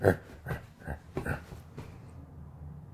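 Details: Siberian husky talking to demand that its owner get out of bed: five short, low, grunting, huffing vocal bursts roughly every half second, the last ones softer, then quiet.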